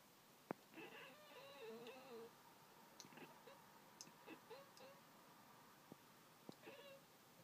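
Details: Pet cat Pringles watching birds outside and chattering: a series of short warbling, trilling chirps spread across the clip, interspersed with sharp clicks and soft indoor background.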